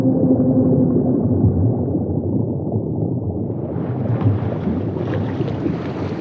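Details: Humpback whale song: faint, steady low moans hum beneath a dense, deep underwater rumble. Hissy noise rises partway through and lasts to the end.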